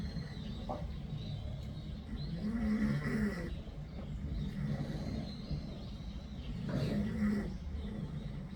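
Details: Cat snoring in rhythmic cycles, each deep, throaty inhale building and easing off roughly every four seconds, with a soft background hum.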